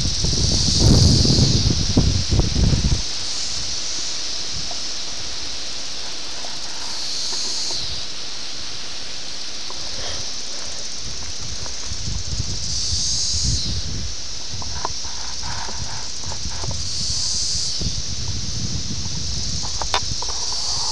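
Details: Brood X 17-year periodical cicadas in Ayersville, Ohio, on June 18, 1987, filmed on a VHS camera. A steady high buzzing chorus swells and fades in waves, with low handling rumble and rustling at the start.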